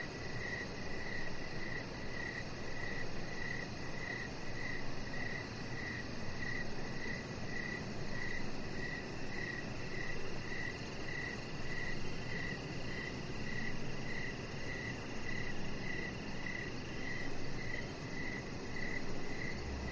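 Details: Crickets calling in the evening outside by a deck lit with decoration lights while a chihuahua puppy lies there; an unbroken series of some thirty-five quick, high chirps at a steady rhythm over a continuous low rumble.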